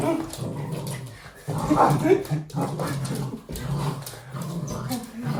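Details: A red Toy Poodle, playing with his dad, makes low, rumbling growls and grumbles in short bursts while a person talks nearby.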